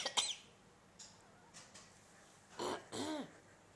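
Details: Pet cat asleep, making meowy sounds after hearing her owners cough: faint breathy sounds, then a loud rasping cough-like burst followed by a harmonic rising-and-falling meow near the end.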